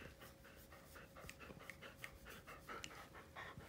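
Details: Siberian Husky named Bunta, a pet indoors at home, panting in quick soft breathy puffs, about ninety per minute, unevenly paced, while someone talks gently to him nearby.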